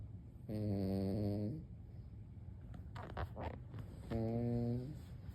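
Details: A sleeping senior Maltese dog gives two low, droning, harmonic snores, the first about a second long, the second shorter. Brief rustling clicks fall between them over a constant low hum.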